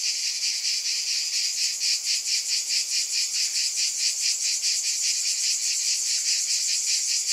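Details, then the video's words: Cicadas droning continuously, a bright metallic buzz with rapid rhythmic pulsing and no background sounds. "Scintillating Cicadas"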